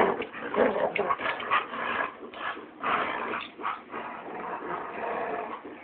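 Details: Dogs including a Labrador play tug of war and keep away, giving fierce bear-like growls mixed with short whiny yips in rapid, uneven pulses.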